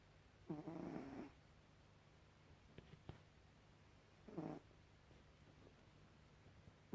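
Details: Snoring from Gribouille the cat: two grating, rattling breaths about three seconds apart, each under a second long, with a couple of faint clicks between them and a low background hum.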